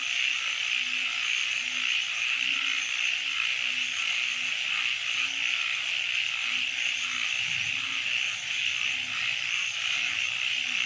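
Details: Nighttime frog chorus in a wetland, with a run of brief low croaks about every half second to second over a constant shrill, ringing background chorus.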